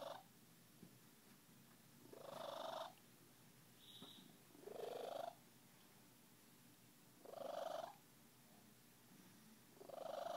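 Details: Miranda, a Siamese cat, purring happily: rasping, breathy pulses that rise and fall in cycles of about two and a half seconds, with faint rumbling between them in a quiet room.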